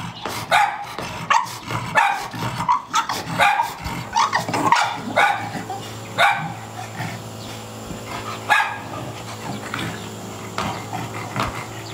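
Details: Chow Chow dog barking in a rapid series of short, rough barks, bunched in the first half and spacing out later, with a steady low hum in the background.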